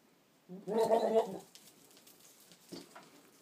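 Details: Boer buck talking to goats, recorded 22 October 2013: one harmonic, nasal vocalization about a second long, followed by quiet with a faint second murmur.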